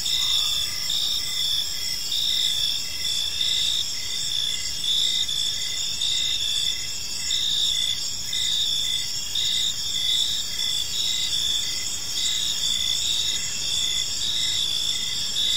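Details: Evening chorus of crickets in a quiet park, a continuous high-pitched ringing trill stacked in several steady bands, with brief pulsing notes flickering through it and a soft hiss of distant ambient noise underneath.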